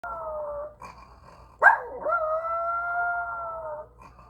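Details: A dog howls in long, steady, tuneful notes mixed with snoring-like snorts, with a short sharp yelp breaking in between.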